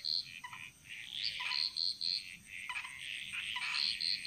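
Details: Frogs singing together in the jungles of Bali, Indonesia, mostly high, short piping notes repeated in quick runs, layered over a softer buzzing chorus and a faint continuous high hum.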